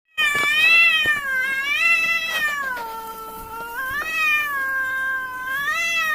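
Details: Two cats fighting in a village: one unbroken, wavering yowl lasting about six seconds, its pitch swelling and sagging slowly, rich in overtones and loud throughout.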